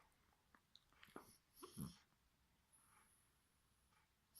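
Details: Bulldog puppy asleep indoors, snoring: a few soft, breathy snorts and wheezes cluster in the first two seconds, then low quiet room hiss with a faint high whine.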